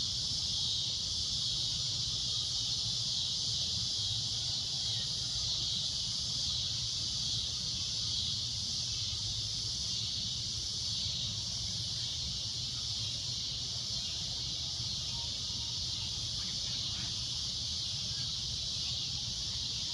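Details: Sunset cicada drone, loud and shrill, sustained without a break for twenty seconds as a bright, steady high hiss, with a quiet low rumble in the background.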